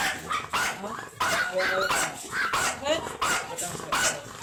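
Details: Ramboo, an imported long-coated Chihuahua stud dog kept at Laoac, Pangasinan, gives sharp, high yaps about twice a second, interleaved with human voices.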